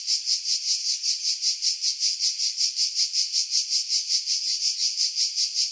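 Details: A July 2018 chorus of cicadas in pine trees about 50 m above the sea, Pefkos Bay, Skiros, Greece: piercing, sizzling buzz throbbing in regular quick beats, unbroken from start to finish.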